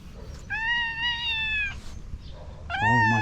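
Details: Domestic cat angry at another cat yowls in a long, slightly falling wail, then after a pause launches into a louder, rough, strained cry with a growling low edge.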